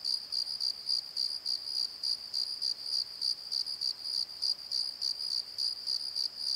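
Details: At night in a valley bottom, crickets give a bright, high, regular chirp about three times per second, clean and unbroken against a quiet background.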